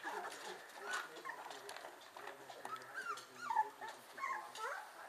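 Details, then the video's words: Twenty-five-day-old whippet puppies whining together: short, high, wavering squeals and soft whimpers that rise and fall, repeated in quick irregular bursts, with faint voices in the background. "whippet pups 25 dagen"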